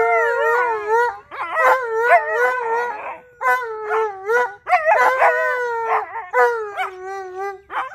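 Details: Two Alaskan Malamutes howl together: long wavering, harmonic howls with sliding pitch, overlapping voices, short yips and breaks between phrases, continuous and loud throughout.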